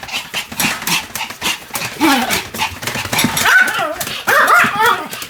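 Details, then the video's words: Pomeranian barking while spinning rapidly, roughly 175 rotations, recorded 1 November 2015; irregular, scattered yaps mixed with whiny, wavering tonal cries that grow louder toward the end. "ポメラニアン サムちゃんの高速回転 約175回 犬の鳴き声"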